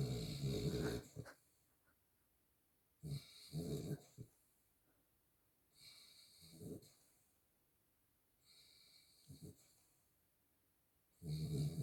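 A miniature schnauzer snores in low, rumbling bursts separated by quiet pauses.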